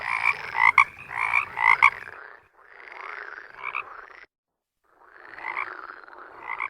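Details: Toads calling, the males' mating-season call: a few loud, grating croaks in rapid succession, then softer, muffled croaking, a gap of silence and more rasping calls toward the end.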